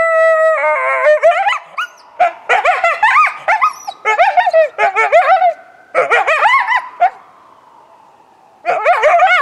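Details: A coyote vocalizing in response to a passing ambulance siren, recorded February 20, 2018: a steady siren-like tone opens, then wavering howls and quick yips in bursts, a pause, and another howling burst at the end.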